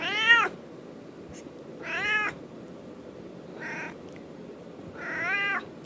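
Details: Domestic cat asking for treats with a series of four separate meows, each short and tonal with a rising-falling contour, spaced roughly every one to two seconds against a quiet background hiss.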